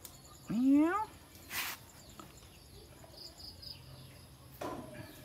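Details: A white cat gives one loud meow lasting about half a second, rising then falling, followed by a soft short sound and a faint second call near the end over quiet outdoor background noise.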